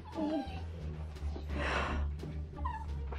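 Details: A female Italian greyhound, an attention seeker who cries whenever she wants something, gives short, high, wavering whimpers over a steady low hum.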